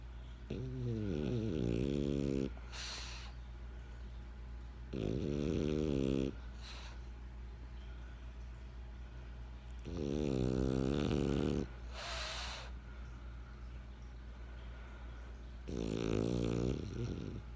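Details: Benjamin, a French Bulldog, snores in steady cycles: raspy low buzzing inhalations of one to two seconds, separated by quieter pauses and brief airy exhale hisses, four snores heard.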